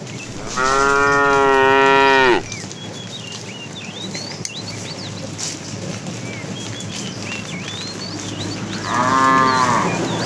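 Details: A cow being herded to a green pasture in the morning gives a loud, drawn-out moo, then a second shorter moo after a pause.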